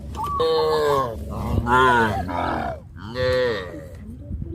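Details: Cows crowding around fields, tame and jumping for joy, low drawn-out mooing in three loud harmonic bursts, each rising then falling, spaced over about four seconds.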